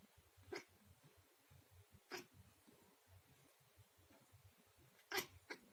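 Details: Pet cat indoors watching cross-country skiing on television, reacting to the audience's waving flags; four short, sharp, noisy chirps, two spaced well apart and two close together near the end, over a low steady background hum from the broadcast.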